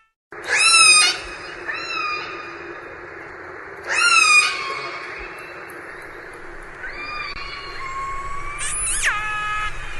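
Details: An orca (killer whale, Orcinus orca) gives pulsed, squealing, harmonic calls that bend downward, then rise, several seconds apart.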